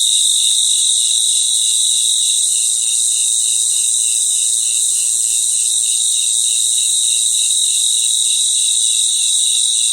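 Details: Crickets chorusing at night in their natural surroundings, layered high-pitched steady trilling over a rhythmic pulsed chirp roughly three times a second, even in loudness from start to finish.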